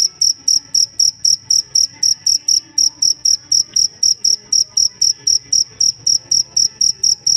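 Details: High ringing cricket chirps, a master sound for tutoring songbirds, repeated in a tight, regular beat of about four bursts per second, loud and clean over a quiet background.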